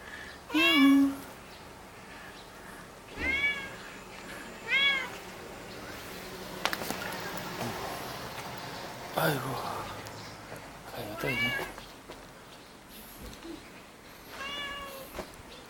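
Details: Cat met in a village alley in Jeonju, North Jeolla Province, Korea, seemingly hungry and asking for food; about five clear, drawn-out meows spaced a few seconds apart, with a person talking between them.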